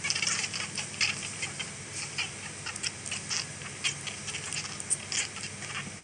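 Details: Baby rabbits give faint, high squeaks and soft chirps through a quiet hiss, a sound kits make when touched or when the mother comes to nurse and they recognise her smell.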